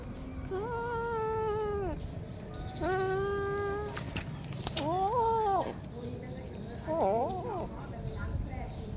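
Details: Domestic kittens, one of three, calling at feeding time; long drawn-out meows, the first two steady and level, then two shorter bending calls with upward and downward slides, with a low background rumble and faint speech.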